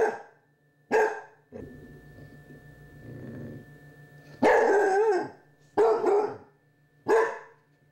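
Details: Basset hound puppy at Halloween, sharing the scene with a Chihuahua and squaring off against a candy dish indoors: sharp, harsh barks in irregular bursts, some rough and growly, about five outbursts, over a steady low electrical hum.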